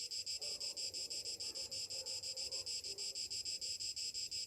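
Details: Summer cicadas in the morning: a loud, hissing buzz pulsing about three times per second in a steady, throbbing rhythm. Faint low rumble underneath.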